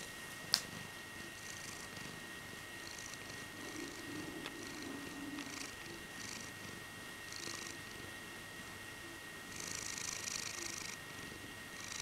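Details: A blue-eyed male Birman cat purrs while being cuddled, showing contentment and flexing his paws in turn. The purring is a soft, steady rumble with breathy rushes and a faint constant hum, and a sharp click sounds near the start.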